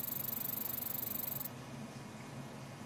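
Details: A Cameroon armored cricket (Cosmodeus sp.) calls with a rapid, high-pitched pulsing chirr that stops abruptly after a second and a half.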